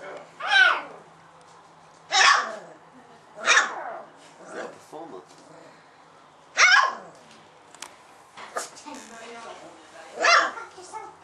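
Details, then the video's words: Four-week-old female Golden Retriever puppy, the vocal one of her litter beside her brothers, giving sharp high yelping barks in separate bursts roughly every one to two seconds, with quiet pauses between. "Golden Retriever pup finds her voice!"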